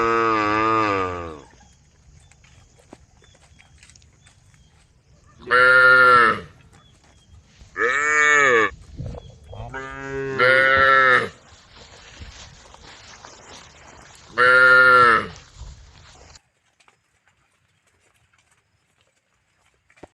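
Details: Tame herd cows calling the herd with a run of five loud, strongly harmonic moos spaced two to three seconds apart, each swelling and dipping in pitch, followed by near silence at the end.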